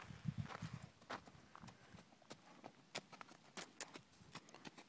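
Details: Horses in Hereford, hooves striking the ground in an uneven clip-clop of sharp knocks, some closely spaced and some a second apart, over a low rumbling background.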